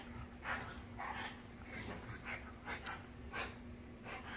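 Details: ['Two French Bulldogs, a black male and his red fawn sister, panting after an evening chase indoors; quick breathy puffs repeated roughly every half second, steady and fairly quiet.']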